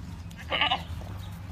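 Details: A single short, strained bleat from a farmed Boer goat, lasting about a quarter second, rises briefly above a steady low-pitched background drone.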